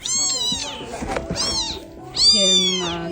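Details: Abandoned newborn kitten, only days old, left alone in a cardboard box in a storeroom, crying in panic as an unfamiliar smell approached: loud, high, arching meows at the start, around 1.5 seconds and after 2.2 seconds, with faint background hum.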